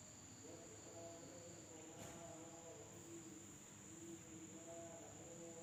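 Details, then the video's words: Insects calling at night in a village in Indonesia: a steady, unbroken high-pitched drone runs throughout, with a lower chorus of overlapping, wavering tones pulsing underneath and a brief soft crackle near the two-second mark. "the sound of insects at night in the village of Indonesia SUARA SERANGGA MALAM HARI"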